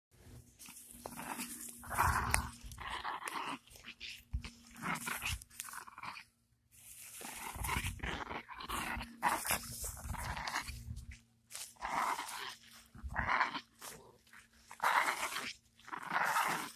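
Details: Canela, a pet Chihuahua, acting aggressively while nibbling on her owner's pants: rough snarling growls come in bursts of one to two seconds, broken by short silent gaps, with rustling and chewing noises mixed in.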